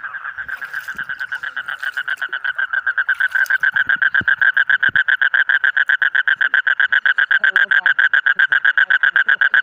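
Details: A colourful frog starts its pulsed croaking softly. The croaks grow louder and become a rapid, very regular trill of nasal notes, about four each second. Faint clicks and knocks sound early on.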